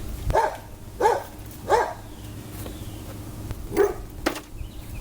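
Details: Dogs bark in short, sharp bursts, about one every second or so, outdoors while a man works on a car and talks nearby.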